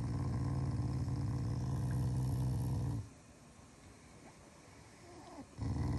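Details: Shiba Inu during its morning routine, growling as an affectionate gesture toward its family rather than in anger; a low, continuous rumbling growl for about three seconds, a quiet pause, then the rumble resumes near the end.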